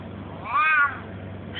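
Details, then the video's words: Pet cat in a Russian home meowing in reply as its owner asks questions in Russian and urges it to say "quack"; a single drawn-out, rising-then-falling meow lasting about half a second, with quiet room hum underneath. "Talking cat!!"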